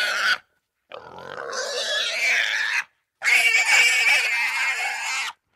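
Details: Squealing Russian boar: a short shrill cry, then two long harsh screeching squeals, each held about two seconds, loud, raspy and high-pitched, with brief silences between.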